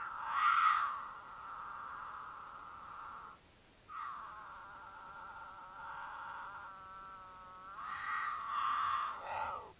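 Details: Mountain lions in Utah during courtship, recorded by a camera on their path; the female in heat gives loud caterwauls to draw the male, who occasionally calls back. Long, loud, drawn-out harmonic wails with a brief break, ending in a falling tone.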